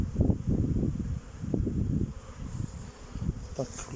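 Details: Honey bees in a private apiary on 8 May 2023, about 14 degrees, young bees circling on orientation flights before starting work; a dense, low, throbbing hum of many wingbeats swelling and fading, with a faint brief higher tone near the end.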